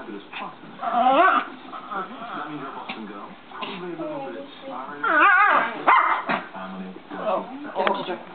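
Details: A Pomeranian and a Cane Corso playing around together: sharp yelping barks and whiny, wavering cries break out in loud bursts near the start and middle, with people talking underneath.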